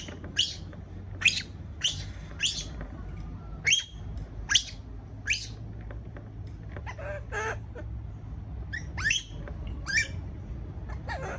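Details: Caged baby monkey, scared of being by itself, gives a run of short, high, downward-sliding squeaks roughly every half second to second, then a cluster of fainter cries, steady hum beneath.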